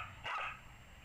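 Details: Samoyed dog, female, barking while playing with an Easter Bunny toy indoors; a single short bark with a bright, slightly hoarse tone lasting about a quarter second, after a person's brief speech.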